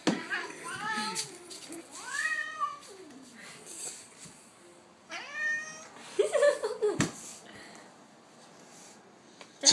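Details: Domestic tomcat, hair clip clipped to its tail indoors, upset before biting: several loud, drawn-out, bending meows with rising then falling pitch, spaced a few seconds apart, amid human chatter and handling noise.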